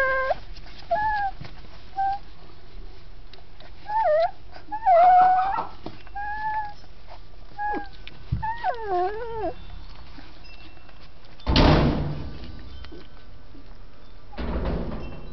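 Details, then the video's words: Dachshund puppies in Campinas, São Paulo, with soft scattered whimpers and thin whines, a wavering cry in the middle, then two loud rustling thumps of handling noise. "Dachshunds Filhotes"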